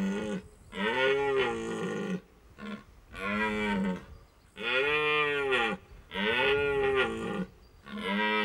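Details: A red deer in the late-September rut in Hohe Tauern National Park, Austria, calling to draw the attention of hinds: about six deep, arched, groaning roars in quick succession, separated by brief gaps.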